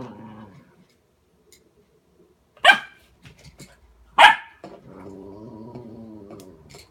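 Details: Border Collie facing its reflection in a mirror: two loud barks about a second and a half apart, framed by quieter drawn-out tonal whining or grumbling before and after.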